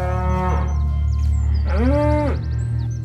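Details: Cows in a barn moo in unison in deep, drawn-out, insistent moos, an alarm call alerting the farmer while a cow has a difficult calving, over a low musical drone.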